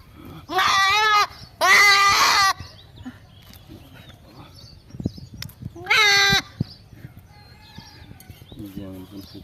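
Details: Goat calling with three harsh, quavering bleats: two close together early on, and one more about four seconds later. Soft chirps and rustling fill the gaps.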